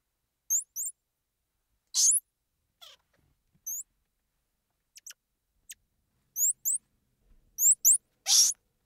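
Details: Squirrel monkey giving thin, very high chirps and short upward-sweeping peeps, scattered singly and in pairs, with two louder broadband squeaks near two and eight seconds; quiet background otherwise.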